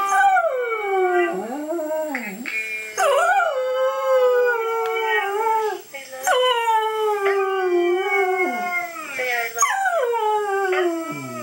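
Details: Watching videos of the talking dog Mishka, the dog Louie's household fills with sustained howling: wavering, rising-then-falling harmonic tones held for a second or more, repeated with brief breaks.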